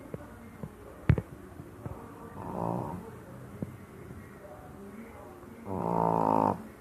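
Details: A female Shih Tzu snores with rasping, buzzy breaths, separated by a few soft clicks and snuffles.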